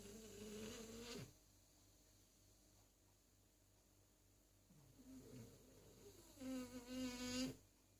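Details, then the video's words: Zazie, a French Bulldog, snoring very discreetly. A drawn-out, nasal, whistly snore runs for about a second, then comes a long quiet gap, a softer wavering breath, and a second tonal snore with a fluttering, rippling edge near the end. "Zazie , Patate Bouledogue français qui ronfle..."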